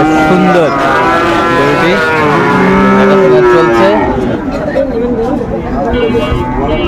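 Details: Sahiwal bull at a cattle market in Mymensingh, Bangladesh, lowing in drawn-out, pitch-bending moos over steady crowd chatter and traffic hum.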